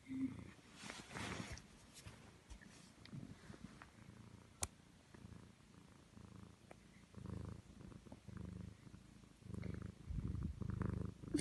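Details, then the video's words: Milo the pet cat, fast asleep after sneaking into a bed indoors, snoring with soft low rumbling breaths in uneven bursts, some louder and some fading, with a faint click partway through. "Cat snoring"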